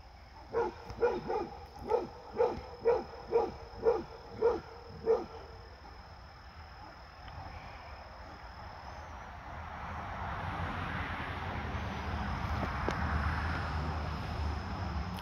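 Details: Fred the Basset Hound, visited by his deer friend, gives a run of about nine evenly spaced barks over five seconds, then falls quiet while steady background noise rises.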